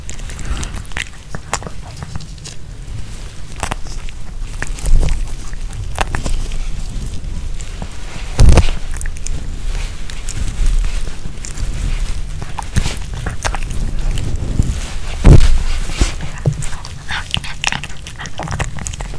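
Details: A Pomeranian chews and crunches a chicken-heart kebab with bell pepper, moist clicks and crackles picked up close to the microphone.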